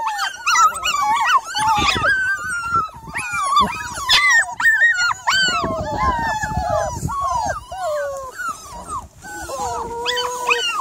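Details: Evening recording from 3rd July of a Miniature Labradoodle whining persistently: strained, sliding cries and short yelps tumbling over each other, ending in a steadier drawn-out whine, with some background noise.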